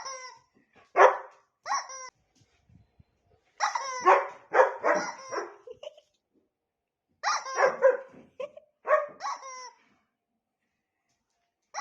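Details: Female dog, agitated while her owner plays with her toy, barking and growling at it. Harsh, harmonic barks come singly near the start, then in quick clustered runs, separated by short silences.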